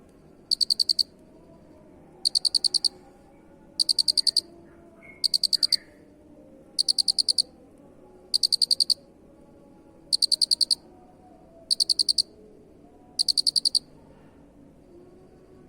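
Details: Cricket chirping for a 'masteran' songbird-training recording: ten dense bursts of rapid shrill pulses, evenly repeated roughly every one and a half seconds, with steady faint low hum beneath.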